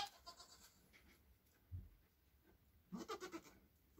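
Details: Newborn Nigerian Dwarf goat kids, hours old, beside their mother; a low brief grunt is followed by a short quavering bleat of several quick pulses, with quiet rustling between.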